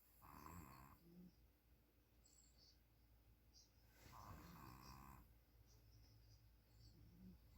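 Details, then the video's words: Snoring puppy with two drawn-out, raspy snores about four seconds apart, each a hushed rasp over a low rumbling buzz, and faint breathing between them in a quiet room. "DO YOU SEE A SNORING PUPPY?"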